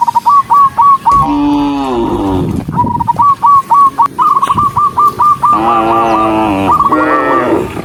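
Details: Dozens of cattle running along a rural road moo in drawn-out, rich, nasal calls, with quick high chirping notes repeated in between.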